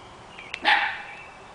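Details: Nine-week-old Scottish Terrier puppies playing with a treat ball that dispenses kibble: a single sharp, bright yip rings out after a faint click, then quiet room noise.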